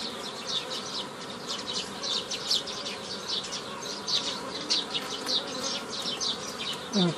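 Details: Honey bees droning steadily while nucleus colonies are made from a prior foraging swarm on 15 May 2018; background birds chirp repeatedly in short high bursts over the hum.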